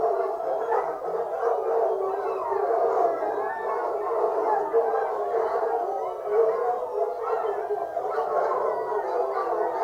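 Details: Pack of foxhounds on a fox hunt, many voices baying and howling together in a dense, continuous, wavering chorus of overlapping mid-pitched wails with no pauses.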